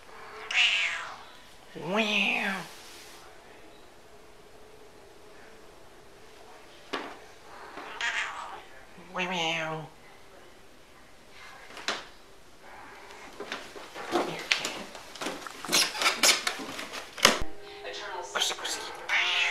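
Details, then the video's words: Domestic cat meowing repeatedly with rising-falling harmonic cries, several in the first ten seconds, followed by a busy stretch of clattering and knocking household noises. "Noisy Kitteh"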